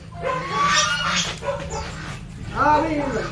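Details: Pet Siberian Husky in Pangasinan, Philippines, during an attempted dog mating. High, thin whines rise and fall in short wavering bursts, mixed with people talking nearby.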